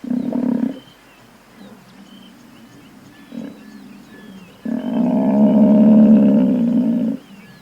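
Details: Buffalo bellowing: a short, low, roar-like grunt, then after a quiet pause a long, loud, sustained bellow lasting about two and a half seconds, rough and droning with a steady low tone.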